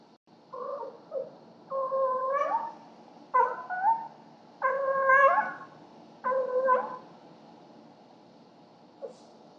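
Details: Pet cats Cleo and Annie at night indoors, carrying gifts to their owner as a nightly ritual, captured by a home security camera: five loud, drawn-out harmonic yowls, each wavering then rising, spaced about a second apart, over steady low hum.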